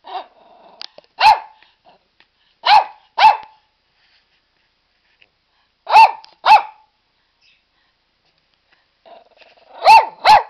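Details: Pet dog Barney in his ball pool gives loud, clipped barks, often doubled, separated by gaps of a few seconds, with low growly whines leading into some bursts.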